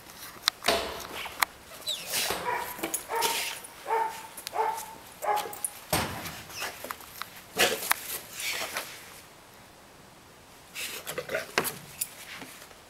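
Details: Female Rottweiler barking in harsh, loud bursts, several close together and some with short whining tones, a quiet pause near the middle, then more barks; distant speech before.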